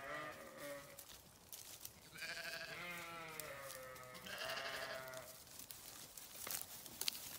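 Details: Grazing farm sheep give a run of overlapping tremulous bleats, higher and lower voices alternating, followed by quieter rustling and knocks.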